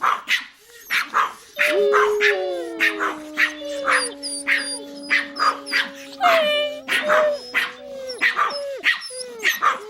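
Small dogs bark in quick, sharp, high-pitched yaps, about two every second, over background music.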